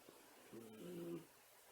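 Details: Whistling breath from a sleeping Miniature Schnauzer during an afternoon nap, a short hollow tonal wheeze of about two-thirds of a second in a quiet room.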